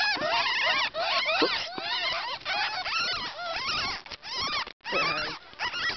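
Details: Newborn ferret kits, ten in one pet litter, cry in bursts of shrill, arching squeals, the chorus breaking off briefly before the tiny voices start up again.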